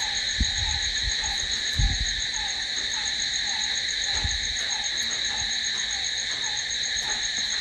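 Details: Crickets calling at night: a constant high, ringing trill with a faint repeated lower note beneath, interrupted by several dull low knocks.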